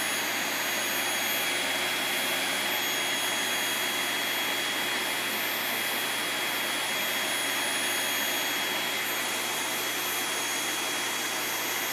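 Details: Loud, unbroken roar of a running vacuum cleaner with a steady high whine, and no animal call audible.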